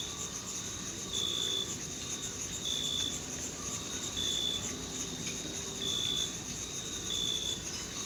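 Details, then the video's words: Crickets in a summer meadow in June; a steady high insect trill with clear high chirps repeating about every one and a half seconds over a constant background hiss. "Sounds of Summer: Sleep and Relaxation Nature Sounds, Crickets, and Insects - A meadow in June"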